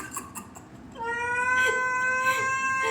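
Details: Domestic cat in Dubai giving a long drawn-out meow, a steady tonal wail holding level for about two seconds after a quiet start with faint background noise.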